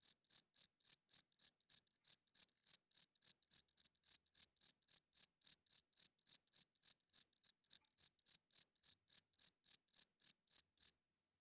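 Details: Nighttime cricket song: a loud, rapid series of short, bright chirps at a steady pace of about three and a half per second, with one slight stumble near the end. The background is otherwise quiet.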